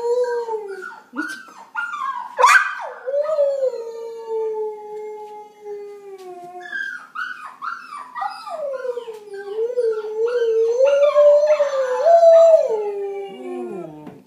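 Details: Pet dog howling back at other dog sounds, a long continuous wavering howl with sliding pitch, several short yelping breaks and rising-falling glides, sustained across the whole stretch.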